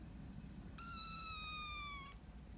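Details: Single drawn-out meow from a hungry kitten wanting food, one of several abandoned kittens found at the end of September. The steady, clear tone lasts over a second and sinks a little before stopping.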